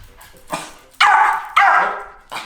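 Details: Dog eager to go for a walk at 1:30 in the morning gives two long, loud, drawn-out yelping barks, each falling slightly in pitch, between fainter whines and a softer start, while its owner urges it to stop barking.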